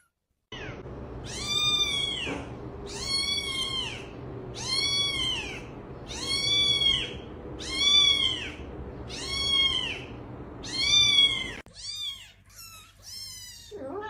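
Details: Domestic cat meowing repeatedly indoors, a series of about seven loud, drawn-out meows rising then falling, one every one to two seconds, followed by several shorter, quicker meows at the end.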